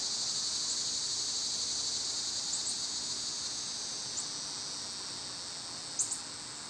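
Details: Cicadas singing in summer, a steady, dense, high-pitched hiss that holds unbroken throughout, with a few faint, brief higher ticks near the end.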